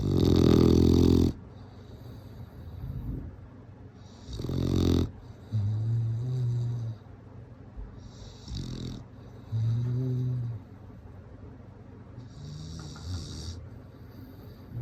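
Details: Sleeping bulldog snoring: low rumbling snores alternating with hissy broadband breaths, several loud snorts and softer droning inhales repeating every couple of seconds in a quiet indoor room.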